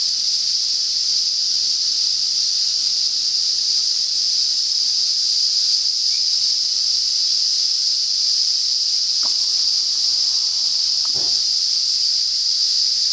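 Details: Cicadas singing in north-east Australia as summer begins: a dense, unbroken high-pitched buzzing drone holds steady and loud for the whole stretch, with two faint brief clicks near the end.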